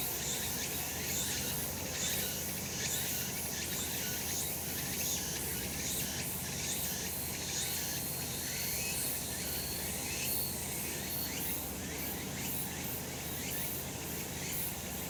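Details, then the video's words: On a Japanese mountain in summer sunshine, cicadas fill the air with an unbroken high hissing drone, pulsing about once per second, a thin whistled tone sometimes threading through and low ambient rumble beneath. "セミの鳴き声 夏の山 日なた"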